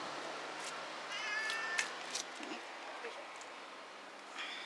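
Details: A black pet cat recorded at home on 22 October 2013 gives one short, quiet, tonal meow with a steady pitch, over a low constant hum and soft room noise.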